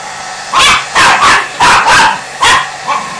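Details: Pinscher Jagger, scared of the blower he hates, lets out a quick run of five or six yappy barks, some doubled, over a low steady hum.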